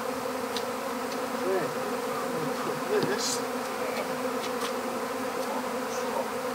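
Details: Honeybee swarm being captured into an empty hive: a dense, steady droning hum centred low-mid, with a few sharp clicks and brief rustling knocks over the buzzing.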